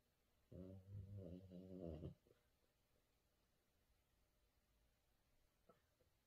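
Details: Blue French Bulldog puppy, female, making noises while asleep and dreaming. A quiet, low, pulsed whimpering grumble lasts about a second and a half. A faint soft click follows, and the rest is near silence.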